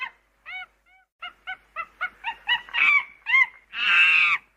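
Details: A monkey at a UK safari park gives a run of short, nasal, honking calls that grow louder and end in a harsh scream.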